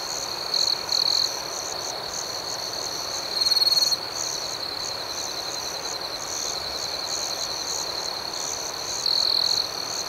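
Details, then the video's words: Crickets at night in a dense chorus: a steady high shrill band overlaid with rapid pulsed chirps, plus louder trilled bursts that swell for about half a second near the start, middle and end. "Soothing Cricket Sounds"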